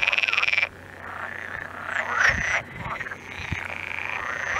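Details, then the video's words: Background frogs crying as a stork feeds its young. A short, fast, pulsed trill opens the sequence, then wavering whistled cries follow, with a few low dull thuds. "those crying frogs"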